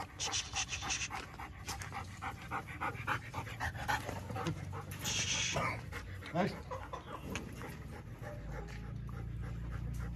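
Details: Over a year old and shedding its coat, a purebred female German Shepherd of about 27–30 kg pants rapidly and steadily, with a harsher burst around the middle, faint human voice and low rumble underneath.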